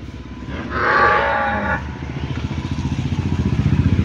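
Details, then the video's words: Household cow kept at home giving one loud moo lasting about a second, followed by a motorcycle engine idling with a steady pulsing throb. "எங்கள் வீட்டில் வளர்க்கும் பசு"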